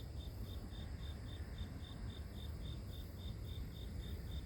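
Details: Grass insect chirping heard as calming natural sound for sleep; evenly spaced high pulses, near three per second, with a loud low rumble and faint hiss behind.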